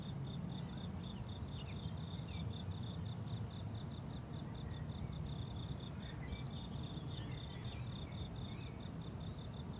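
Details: Rhythmic cricket chirps from a summer meadow, fast high pulses around four per second with a short gap near seven seconds, faint bird notes and low background hum.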